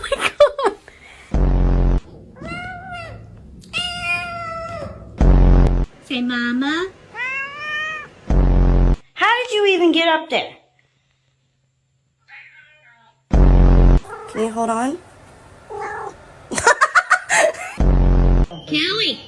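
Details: A domestic cat, a female, meows in several drawn-out, arching, whiny calls between bursts of people talking and laughing, with brief music and loud clattering thumps throughout.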